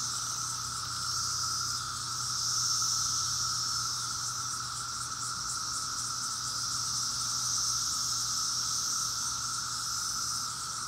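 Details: Cicadas singing in Maryland in 2021: a dense, unbroken droning chorus, a high shimmering hiss over a steady lower whine, its loudness swelling and easing in slow waves across the whole stretch, with no other clear sounds.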